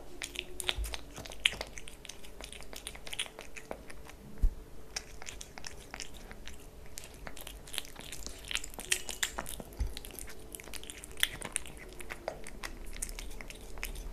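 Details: Pet kitten Leo chewing wet food and treats, dense irregular wet smacks and crunching bites close up, a low background hum in a small indoor room.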